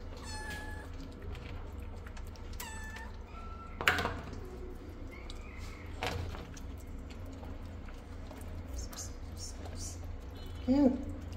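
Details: A rescued, shy, angry feral mother cat gives sharp, breathy hisses between short meows while her kittens eat together, with a steady low hum underneath.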